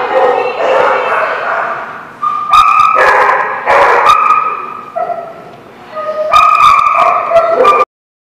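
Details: Dogs at a barking lot, recorded 10/13/17, producing loud, sustained tonal yelps and howl-like cries in overlapping bursts about a second long, rising and falling in pitch, with a voice mixed in.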